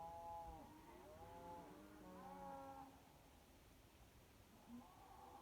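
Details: Several cows calling at night near Kyneton, 26 May 2023, with overlapping, fairly distant moos, some rising and falling, in the first three seconds, then a softer lowing near the end against steady low background noise.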